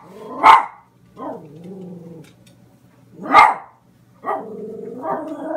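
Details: A female dog barking at a picture of a cat on a calendar gives two sharp, loud barks, each followed by a drawn-out, grumbling whine.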